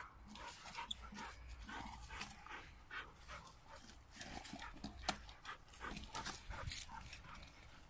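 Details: Eight-month-old American Bulldog x Lurcher puppy, dam a performance-type American Bulldog, sire a Saluki x BullWhippet, heard up close in soft, irregular bursts of breathy panting and snuffling, with brief scraping and handling noises between breaths.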